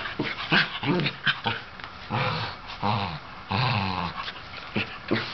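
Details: An older sable Shetland sheepdog, feeling wild, gives sharp, excited barks mixed with throaty growls as it urges a younger ginger tabby cat to play.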